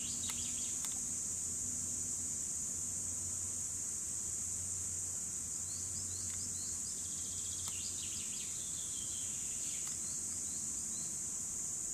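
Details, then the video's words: Continuous shrill chorus of cicadas from 2017, an even high buzz never pausing, while a bird adds brief twittering notes midway and a low hum runs in the background. "Цикады 2017 / Cicadas"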